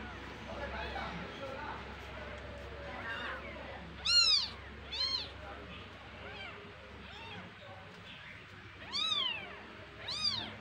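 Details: Kittens from a house cat's litter of three, at home, calling and squabbling among themselves: several high, arched meows near four, five, nine and ten seconds, with faint talk and a low background hum.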